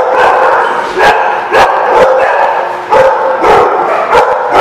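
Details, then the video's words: Dogs at The Barking Lot on 13 March 2017 in a loud barking chorus. Distinct, punchy barks land roughly once a second over a continuous background of other dogs yapping. "The Barking Lot"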